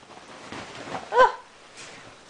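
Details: Playing Prague ratter giving a single sharp, arched yelp with a clear tonal ring, preceded by soft breathy shuffling and followed by quiet background.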